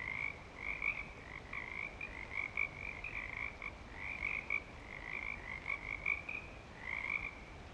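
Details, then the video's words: At Clearwater Commons during breeding season, frogs form a thick chorus of high ringing trills, bursts overlapping continuously with occasional louder notes, and a soft low rumble underneath. "Frog Song"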